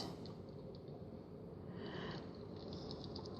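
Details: Quiet creaking and clicking, like a mechanism or soft chewing, over low indoor room noise, with no animal calls.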